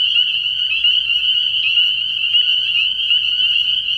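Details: Spring peepers chorusing at a frog pond at night early in the year, dense high piercing peeps running together into a continuous ringing sound.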